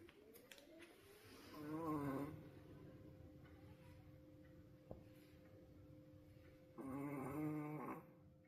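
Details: Pomeranian named Roku, wolf sable coat, asleep and seemingly tired, snoring indoors at his loudest ever: two drawn-out, rasping harmonic snores about five seconds apart, with a faint steady hum in the room between them.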